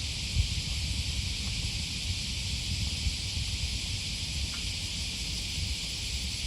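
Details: Cicadas calling on an August 2020 morning beside the Okawa River near Sakuranomiya Park, Osaka, Japan: an unbroken, even, high buzzing hiss with no pauses, over a heavy low rumble of walking and wind.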